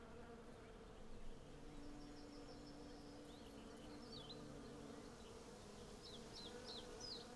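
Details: Continuous buzz of hundreds of western honey bees gathering honey on a cherry tree in blossom, the hum shifting slightly in pitch as individual bees pass, with sliding bird whistles near the end.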